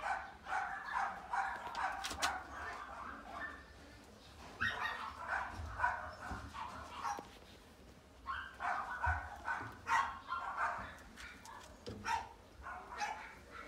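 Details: Long-haired miniature dachshund puppy, a silver dapple female born 11 April 2018, giving clusters of high, harmonic yips and whimpers in bursts with short pauses between them, plus faint human voices in the background.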